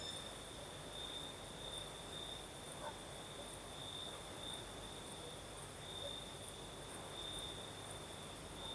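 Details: Night chorus of crickets in southern Crimea, night breeze blowing: a continuous high-pitched ringing trill that pulses a little brighter every second or so, partly buried under a constant breezy rush.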